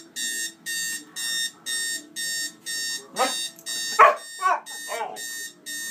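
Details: Male pet dog reacting to an alarm clock whose noise he hates: steady electronic beeping pulses throughout, with several short, harsh barks and yelps breaking in during the second half.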